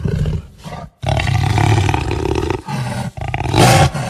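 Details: Jaguar growling and roaring: deep, rough, rumbling bursts, one brief and one long, broken by a near-silent gap about a second in, ending with a harsher, louder surge.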